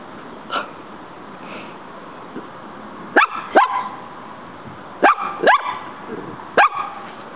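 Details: Pet dog named Muñeca barking at a praying mantis she found in the yard, trying to fight it as the insect fights back; sharp barks come in pairs and singles, spaced a second or two apart, over faint background hiss.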